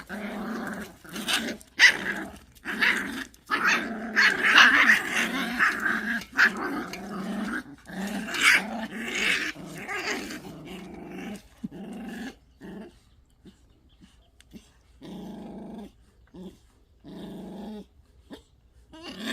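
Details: Pungsan dogs in a rank fight, snarling in rough, rasping growls with sharp yelping bursts for about eleven seconds, then quieter intermittent grumbles and short breaks of near silence.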